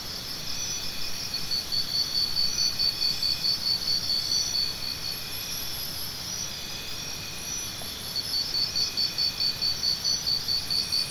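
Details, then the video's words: Crickets chirping in steady bursts of rapid, high-pitched pulses, one run lasting about three seconds and another starting near eight seconds, with fainter, even higher trills from other insects in between over a soft background hiss. "Cricket Sounds"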